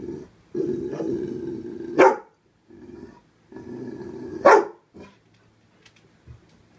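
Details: A young rescue dog barks at fish. Low, steady growls build and each ends in a sudden sharp bark, twice about two and a half seconds apart, followed by short quiet huffs.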